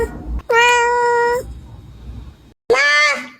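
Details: Domestic cat meowing twice: a long, level, tonal meow, a short pause, then a second brighter, rising meow.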